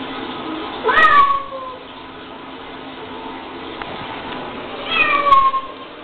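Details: Female domestic cat reacting to a recording of her own screams: two loud, bending meows about four seconds apart, each sliding down from a high start, over a steady indoor hum.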